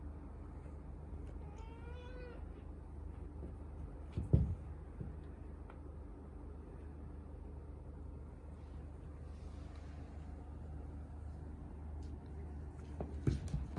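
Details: A male British Shorthair kitten, curious but a little timid, plays with a new meat-shaped toy. It gives a single clear meow near the start, followed by quiet with soft thumps and handling noises.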